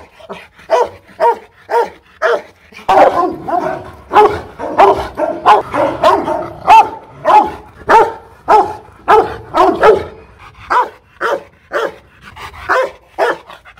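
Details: Fierce Rottweiler from a Hanoi kennel, Loki Gervi, barking aggressively: a fast, uneven volley of sharp barks, crowding into rapid bursts midway before spacing out again toward the end.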